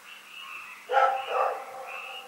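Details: Rex the dog barks at night in Pyrga, recorded February 27, 2018: a single harsh double bark in mid-clip, set against a steady high chirring night chorus that fills the rest.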